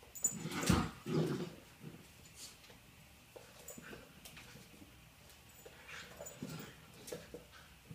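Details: Cindy the puppy playing with a basketball indoors gives two low, throaty growling grunts in quick succession early on, then softer scuffling and thumps, followed by a person praising her.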